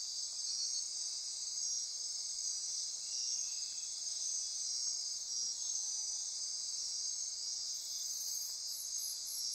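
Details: Dense nighttime insect chorus in rainforest near Corcovado National Park on Costa Rica's Osa Peninsula: continuous high buzzing and trilling bands layered over each other, steady throughout, with faint pulsing tones near the end.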